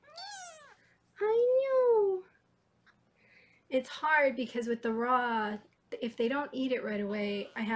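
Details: Foster kittens in Los Angeles, watched on a live 24/7 kitten cam while being weighed indoors, give two clear drawn-out meows, the second arching up and falling. A woman then talks at length over the room.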